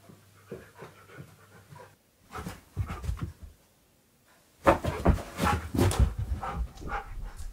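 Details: Keyush, a fluffy pet dog, searches a room for a hiding owner in a game of hide-and-seek, panting in quick, uneven bursts with short pauses between, breathy and low, with a louder stretch of rapid huffing near the end.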